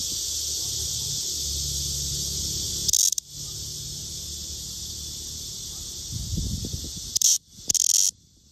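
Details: Black cicada (Cryptotympana atrata), studied for sexing: a constant high buzzing hiss interrupted by three brief, sharper rasping bursts, with some low rustling before the last two.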